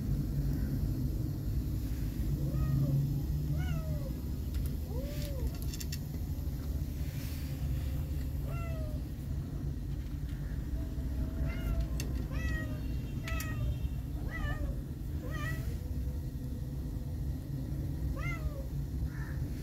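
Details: Fluffy, wobbly young kittens mewing repeatedly: thin, high, arching meows, some rising then falling, scattered through the whole stretch, sometimes overlapping, over a constant deep low rumble and faint clicks.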